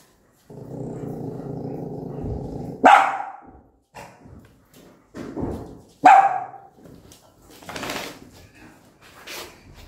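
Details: Angry mother dog with newborn puppies gives a long low growl that breaks into a sharp bark, followed by another loud bark about three seconds later and some scattered clicking and rustling.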